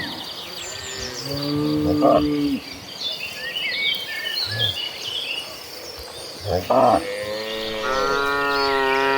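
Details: Tame cattle in a huge herd being driven; scattered moos, a drawn-out bellow near the start and a rising, strained moo toward the end, over steady background noise and faint high bird chirps.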